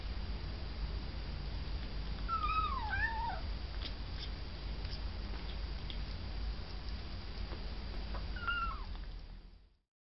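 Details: Domestic cat giving two meows: a drawn-out, wavering, falling meow around two to three seconds in, then a shorter descending one near eight and a half seconds, over a steady low hum and faint clicks before fading to silence.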